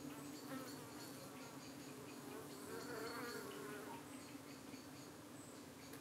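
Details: Evening buzzing at a UK honey bee hive under attack by darting flies, the bees fending them off; a constant low hum with rising and falling flight whines from insects passing near, loudest midway.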